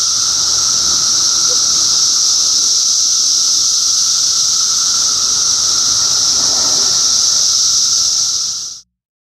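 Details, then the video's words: Cicadas of Middlesex County, New Jersey, filmed in June 2013, sustain a loud steady high-pitched drone and underlying whine for about nine seconds before the sound cuts off abruptly into silence. "Cicada Symphony"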